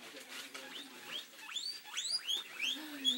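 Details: Two pet guinea pigs, Ginger and Calico, getting excited over fresh timothy hay: a quick run of high, upward-sweeping squealing whistles, roughly eight in three seconds, each rising sharply then breaking off, over faint background hiss.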